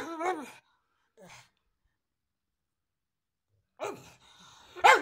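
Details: Pug barking, two short yelping barks with a small one between, then quiet before a pair of sharper barks at the end; indoors, no other sounds.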